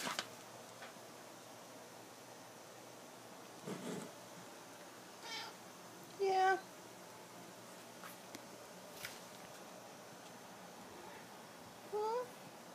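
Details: House cat JC, indoors and unhappy that things have changed, inspecting moved belongings; two brief rising meows several seconds apart, with rustling, rubbing and scattered household knocks between them.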